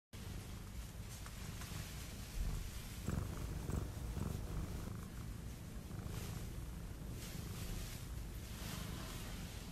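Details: An affectionate female tabby cat purrs steadily in a deep rumbling hum that pulses softly throughout.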